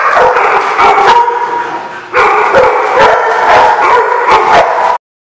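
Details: Dogs recorded on May 20, 2016, in a dense, overlapping barking chorus of rapid, sharp barks; the noise eases briefly, surges back loudly, then stops abruptly.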